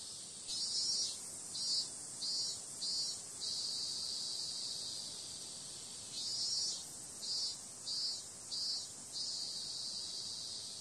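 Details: Summer night cicadas keep up an unbroken high, sizzling drone, broken twice by clusters of four or five pulsing swells spaced under a second apart, then returning to a smooth steady buzz.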